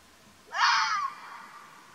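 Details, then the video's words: Single rasping, wheezy cry from a wild Arabian fox in Oman. The cry is sudden and harsh, lasts just over half a second, and then trails off, with only faint background hiss around it. "الثعلب الجبلي | تعرف واستمع الى صوت الثعلب الجبلي"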